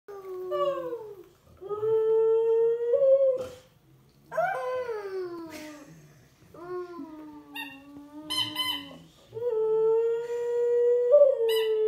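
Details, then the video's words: Siberian Husky, five-year-old female pet dog, howling along with a baby of about 15 months indoors; long drawn tonal howls with rich harmonics, some rising then falling, in several bouts separated by short pauses, with the child's voice joining in. "Baby & Husky “Singing” Together"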